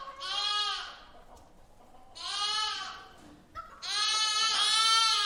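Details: Lamb bleating inside a barn, three long quavering cries with bright, buzzy harmonics, the last one the loudest and longest, with short quiet gaps between them.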